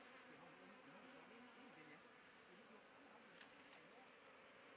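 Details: Asian honey bees swarming around an opened log hive in Thailand, 2011; dense, even buzzing hum filling the clip with a faint low wavering drone.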